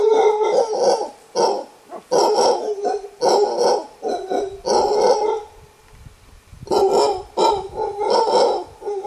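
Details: Costa Rican bamboo forest, wild mantled howler monkey alpha male roaring a warning; rasping guttural bursts repeated in runs, a pause of over a second midway, then the roaring resumes strongly.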